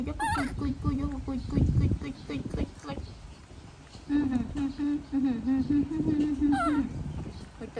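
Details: Baby monkey throwing a tantrum as its mother leaves: shrill, rising wavering cries burst out at the start and again near the end, over a steady low humming tone and other background sound.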